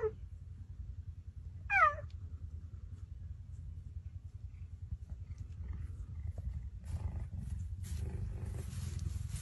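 Two short chirps from an Asiatic cheetah open the recording, each a bright, bird-like note sweeping sharply from high to lower pitch. Afterwards only a steady low rumble and some faint hiss remain.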